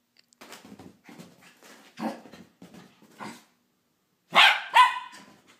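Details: Jack Russell terrier puppy, female, barking in the morning while running around full of energy to wake her owner; a string of soft short yaps followed by two loud sharp barks near the end.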